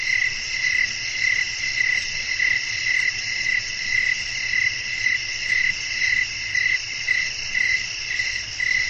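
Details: Crickets singing in a calm nocturnal landscape with wind: a long run of rapid chirp bursts, slightly irregular, near two per second, against a dense ringing high chorus and light rumble.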